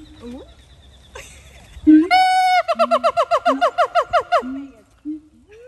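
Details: Siamang at Dubbo Zoo: a long held harmonic note followed by a fast series of about twelve rapid, bouncing, sliding hoots at roughly three per second, with deeper barks between and laughter from people nearby.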